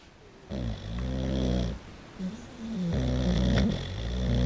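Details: Maurice, a Boxer dog, sleeps with eyes open and snores very loudly: a low, rumbling snore with a buzzy drawn-out breath lasting about a second, a short snort, then another long vibrating snore.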